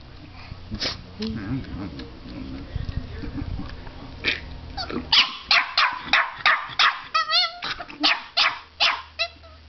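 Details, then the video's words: A puppy confronts a fake alligator head gripping its teddy bear, first quieter with people talking, then a rapid run of loud, sharp barks about three per second, a few with high yelping tones. "puppy barking at alligator"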